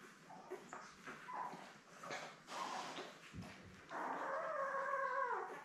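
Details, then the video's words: Newborn Labrador Retriever puppies with their mother Belle, seven pups born May 24, filmed on a live cam; faint scattered squeaks and rustling, then a loud drawn-out whine falling in pitch near the end. "Lab Puppies LIVE STREAM Puppy Cam"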